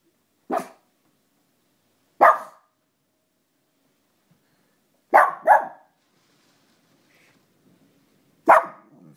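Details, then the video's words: A Pekingese barks after another dog, sharp, yappy barks at irregular intervals, sometimes two in quick succession. "Pekingese barking"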